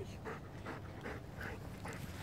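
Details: Rhodesian Ridgebacks, a brother and sister, after romping through a forest: steady, breathy panting in quick regular bursts about every half second, with faint rustling behind.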